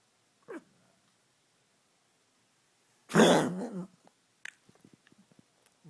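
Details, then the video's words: Senior pug with a terrible cough, indoors: one harsh, noisy hacking burst lasting about a second, preceded by a short faint sound and followed by small snuffling and clicking noises. "Coughing pug"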